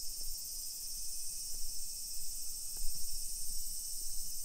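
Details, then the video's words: Summer cicadas in suburban Nisshin, about 20 km from downtown Nagoya, Japan, 28 July 2021, early afternoon. A uniform high sizzling drone continues without pause while footsteps and a few sharp knocks sound below. "Summer Cicadas Sounds"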